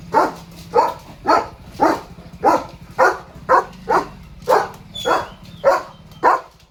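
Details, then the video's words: Morning barking from Leo the German Shepherd, who spots a dog and a cow beyond the gate and sounds off: twelve harsh barks in a steady, even rhythm, nearly two each second, over a faint low hum. "Leo the German Shepherd's Barking Morning Duty"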